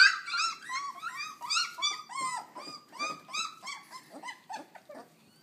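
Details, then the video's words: Puppies under three weeks old making a lot of noise indoors: a chorus of high, squeaky whines and yelps with wavering, rising-falling tones, several overlapping, tailing off after five seconds. "Attack of the Noisy Puppies"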